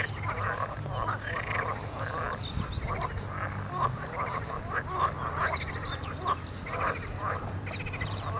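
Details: A dense spring frog chorus: many overlapping, ringing croaks and rattling trills pulse nonstop, with a steady low hum underneath.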